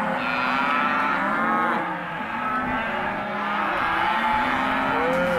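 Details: Lot 18 of empty Hereford and black-baldy cows calling together, sustained deep moos rising and falling in pitch, one voice overlapping the next throughout.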